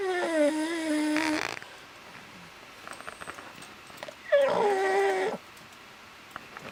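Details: A sleeping Boston Terrier, snoring with one eye open before being interrupted by his deaf sister, snores in two long, nasal, wheezy breaths, each with a whistling, buzzy tone.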